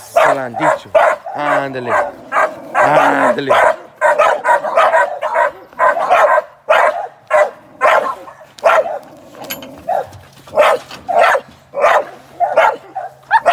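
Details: Young American Staffordshire Terrier working as a sporting dog in training for ADBA shows and sporting events, barking sharply and repeatedly at an irregular pace, while a man laughs and praises it with "good boy" near the start.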